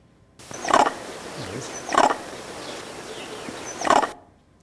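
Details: A vervet monkey's eagle alarm call, given on seeing an eagle (a major predator), is played in a lecture: three short, harsh, coughing barks spaced about one to two seconds apart over a low room hum; hearers dive under bushes.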